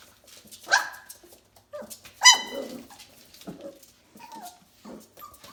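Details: F1B Bernedoodle pups aged four weeks playing together: two sharp high yelps stand out, followed by softer falling whimpers and little squeaks.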